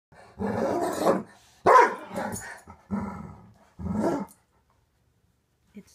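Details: Weimaraner barking at a stuffed toy bunny it finds frightening. Four drawn-out, gruff woofs with growly edges come in slow succession, then quiet.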